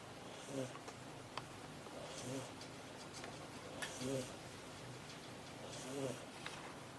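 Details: Domestic cat named Ameta asleep on a desk indoors, snoring softly: a low rasping breath roughly every two seconds, four snores in all, with faint ticking and small clicks in the quiet room.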